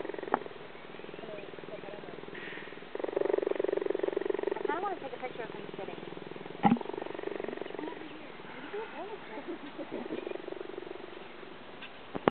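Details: A cheetah at Scovill Zoo in Decatur, Illinois, purrs in a steady, throaty rumble, with faint human voices in the background.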